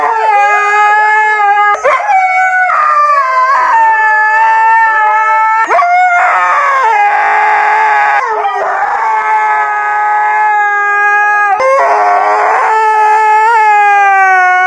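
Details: Siberian Husky giving a series of sustained, harmonic howls, each lasting a few seconds and separated by short breaks, pitch sliding up and down in wavering, mournful phrases throughout.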